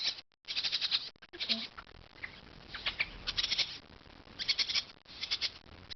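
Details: Orphaned newborn raccoons from Culver City Animal Control, left by their mother in a warehouse and being warmed before release to the wild later, crying with rapid, high-pitched twittering bursts that come in clusters between brief pauses.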